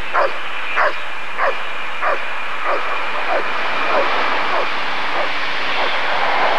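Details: Rottweiler barking at the 1994 ADRK Körung breed survey: a steady series of about eleven sharp barks, one roughly every 0.6 seconds, over a continuous low rumble like passing traffic or aircraft.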